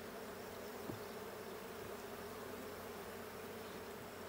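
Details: Honey bee colony humming during a check of the blue hive, 20 June 2022: continuous buzzy drone with a steady low tone, a couple of soft ticks.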